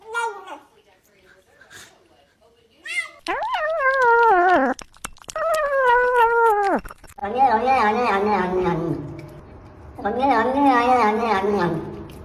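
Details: Cat or kitten making noises while eating: several drawn-out, wavering meows, some strained and falling at the end, with a later pair of rougher, louder cries over low background noise.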